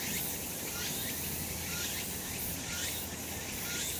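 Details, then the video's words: Cicadas singing on a summer mountain in full sun, a loud sizzling drone beating in pulses about once a second. "セミの鳴き声 夏の山 日なた"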